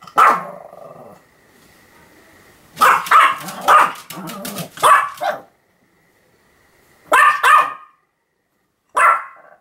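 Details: Continuous barking by a Pomeranian called Sam, October 7, 2015: an opening yap, a long low hum-filled pause, then a fast cluster of four high barks, later a double bark and one last yap.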